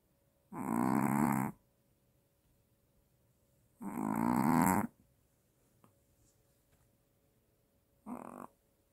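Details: A sleeping Maltese dog snores loudly, louder than the owner's father, each rough, rumbling breath lasting about a second; described as apnea, and the dog wakes startled from snoring.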